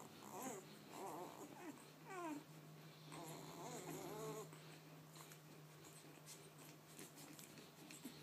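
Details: Maiah's two-day-old puppies feeding indoors; bursts of wavering whimpers, one sharp falling squeal near the middle, then the calls fade to quiet shuffling over a constant low hum.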